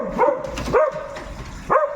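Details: Noisy pet dog barking at night: three short, sharp barks with a brief falling tail, spaced unevenly across two seconds, the first two close together, the last after a pause.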